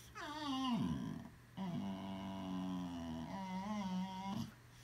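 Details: Boxer dog making funny sounds in a small room, a falling whine sliding down into a low drawn-out grumble, followed by a steady moan that ends with a short rising note.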